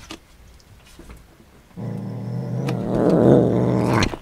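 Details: Cat growling while eating beef and egg it does not like; a low, steady rumbling growl starts after quiet chewing and grows louder toward the end, with soft eating clicks.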